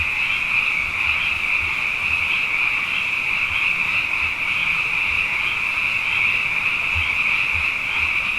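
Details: Night chorus of abundant frogs following two consecutive wet years: a continuous, shimmering high trill from countless callers blending into one steady wall of sound, with faint low thumps beneath.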